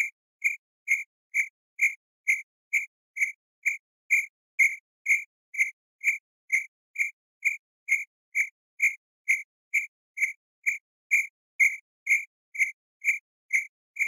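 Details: Steady campsite cricket chirps, around thirty brief high-pitched pulses at a constant pace of about two per second, uniform and uninterrupted, with nothing else heard.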